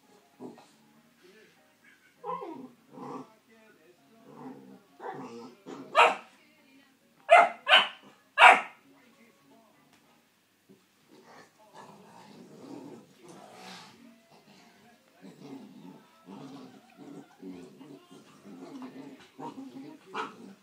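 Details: Clumber Spaniel puppy barking, with scattered shorter yips building to three loud, sharp barks about a second apart, mixed with human voices and faint music in the background.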